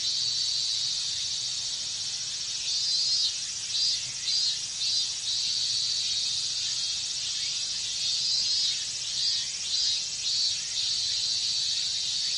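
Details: Hot Japanese summer cicada chorus of minmin cicadas, a constant piercing hiss broken by two bursts of pulsing, throbbing beats, one in the middle stretch and another later on.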